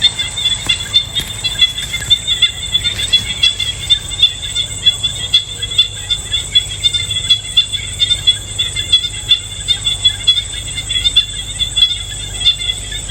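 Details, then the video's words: Insects buzzing on a peaceful day in the countryside, a steady shrill high-pitched drone with a faint pulsing shimmer throughout, over a constant low rumbling hum and a few faint chirps. "Sounds of Geese, Cows & Insects for Relaxation"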